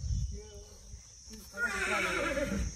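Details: Horse on an Indian stud farm giving a brief whinny: a short harmonic note, a pause, then a louder, rough, wavering neigh lasting about a second. Hoof clopping and human voices can be heard around it.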